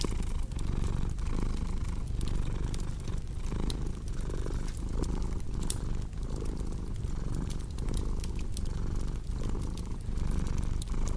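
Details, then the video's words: Purring cat, a dense low vibration broken into breath-paced phases, accompanied by scattered crackling and snapping of burning wood. "Purring Cat"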